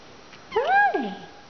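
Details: Young female rescue cat Raggles, called a Russian Blue, with a plush gray-blue coat and one white belly patch, answers when spoken to indoors: a single clear, drawn-out meow that rises, holds, then slides downward.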